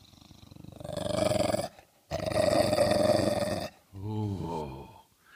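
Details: A trained English Bulldog growls on command in long, rough, rumbling bursts, followed by a man's voice praising him.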